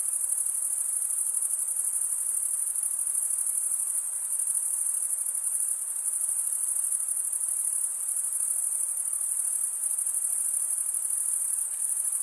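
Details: Crickets stridulating, chiefly males, by running one wing's comb-like toothed vein across the other: a continuous, very high, shimmering trill that holds steady throughout with no pauses or other sounds.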